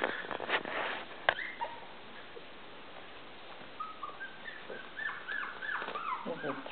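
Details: Three-week-old Maltese puppies, a litter of five, playing and crawling over each other indoors; early scuffling and clicks, then a run of short squealing whimpers and yips, several per second, in the second half.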